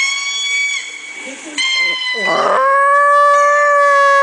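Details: Female pet Chihuahua howling indoors at lemur calls played on a laptop: long tonal wails, a dip with a wavering, lower sound midway, then a steady, sustained high howl.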